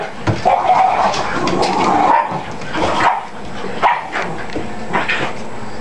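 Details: Several pet dogs at playtime, play-fighting, among them a little white dog named Willie; continuous rough growling and snarling with sharp yips and barks breaking through every second or so, dense and noisy throughout.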